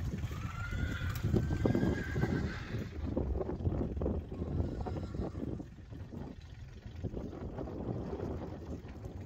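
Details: Friesian horses, one of five young horses including the youngest, Rising Star, playing in an arena; a drawn-out tonal whinny fills the first three seconds, then fades into heavy wind rumble and dull thuds of movement.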